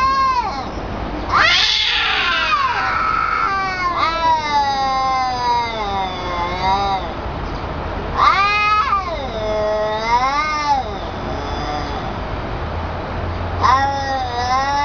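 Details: Long, wavering yowls from a domestic cat, strained and harmonic-rich, sliding up and down in pitch and running almost continuously, with a harsh noisy burst near the start.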